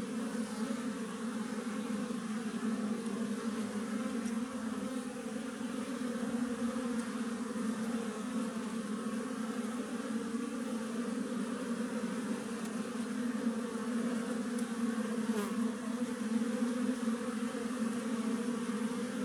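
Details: Western honey bees from a wild tree colony produce a constant low, layered buzz, thick and unwavering, swelling slightly toward the end.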